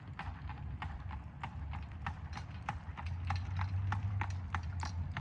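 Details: An Amish horse and buggy in Lancaster County, Pennsylvania, in fall 2025: brisk, fairly even clip-clop of hooves on hard pavement, several beats a second, over a low rolling rumble of wheels.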